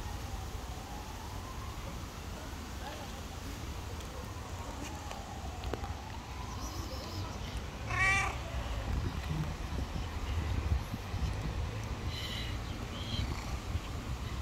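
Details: Stray street cat giving a single loud, harmonic meow at about eight seconds that rises then falls. Fainter drawn-out mewing comes earlier, over steady low outdoor rumble and traffic-like background noise.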